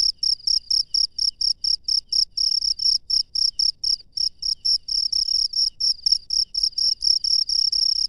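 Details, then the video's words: Cricket heard at night in the wild, high shrill chirps in an even series of short pulses, sometimes running together into longer trills, against a quiet background. "SUARA JANGKRIK LANGSUNG DARI ALAM LIAR DI MALAM HARI"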